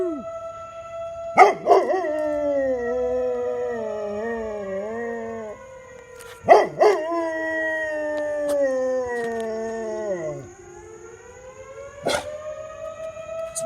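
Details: Pet dog howling at a passing fire engine siren, cheered on by people: long sustained wavering howls that slowly fall in pitch, broken by sharp yips, with a siren tone and a man's encouraging voice.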